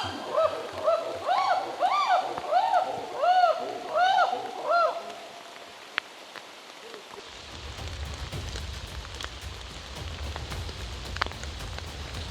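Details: Wild chimpanzees, a shy community in Uganda's rainforest, running around a film crew during heavy rain; a string of rising-and-falling hooted calls for about five seconds, then only the steady patter of rain.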